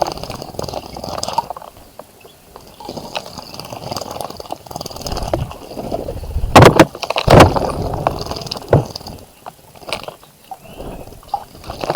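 Splashing and rumbling water noise with a few loud sharp knocks, and no animal calls.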